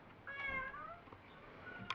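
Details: A pet cat called Me meows indoors during an exchange with its owner: a smooth, falling, tonal mew of about three-quarters of a second, then faint rustles and a sharp click near the end.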